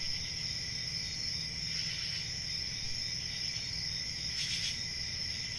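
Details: Crickets keep up an even high-pitched trill in layered bands, punctuated by two brief brighter rasping swells near the start and end, over low murmuring noise.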